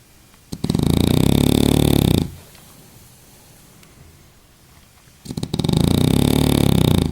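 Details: French bulldog asleep during a nap, snoring loudly: two long rasping, rattling inhalations of about one and a half seconds each, separated by roughly three seconds of quiet breathing, in a small indoor room.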